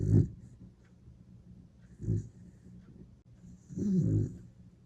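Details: A sleeping Dachshund snores loudly, likened to a wild boar: low, rough snorting breaths roughly every two seconds, each a harsh grunt with a faint whistling edge, quiet room between.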